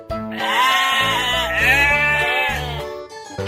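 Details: Sheep giving a drawn-out, quavering bleat that dips and rises over about two and a half seconds, set against cheerful background music with repeating bass notes.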